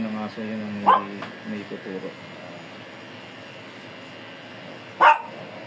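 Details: Fierce Shih Tzu during grooming, a person talking briefly at first, then two loud, sharp single barks about four seconds apart with quiet room noise between.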